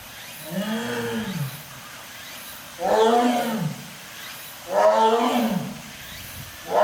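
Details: Captive lion at a zoo in Japan giving deep, drawn-out roaring calls: three arched, harmonic moaning bouts about two seconds apart. Each bout swells and then falls away over roughly a second, with a fourth starting at the end.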